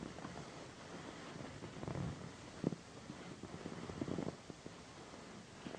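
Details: Pandy, a female pet cat known as a loud purrer, purring indoors while being massaged on a satin pillow; a low, steady rumbling pulse with soft rustling and brief scratchy touches over it.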